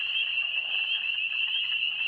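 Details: A dense chorus of spring peepers calls at night in early spring during a light drizzle, their high, piercing peeps blending into one continuous ringing shrill.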